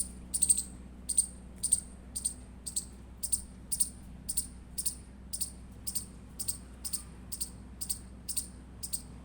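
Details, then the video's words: Indian palm squirrel chirping: sharp, high, clicky chirps repeated roughly once a second, some in quick doubles, with a steady low hum underneath. "Indian Squirrel Chirping Sound Effect"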